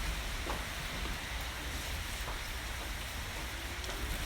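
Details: Steady heavy rain drums on a surface, with a low rumble like a passing vehicle filling the whole stretch.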